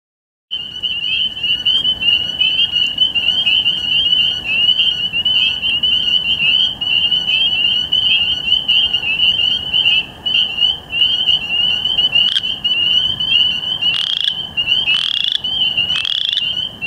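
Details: Western chorus frogs give dense, high, pulsing trills that run together into one continuous ringing chorus; recorded 2 May 2013 in Ontario.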